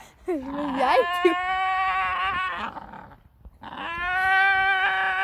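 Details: A Staffordshire Bull Terrier gives long, high, wavering screams with a strained tone that a person likens to a goat.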